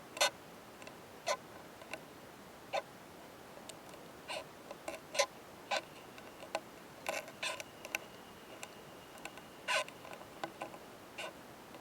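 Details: Oomadarakokunusuto beetles, male and female, mating in a mountain pine forest. The male's intense clicking comes as a long irregular series of sharp taps and short clustered bursts, some loud, some faint, over quiet background.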